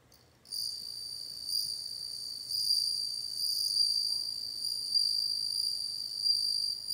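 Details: Bell cricket producing an unbroken high, tinkling trill that begins after a short pause and runs for over six seconds with slow rises and falls in intensity, against a hushed background.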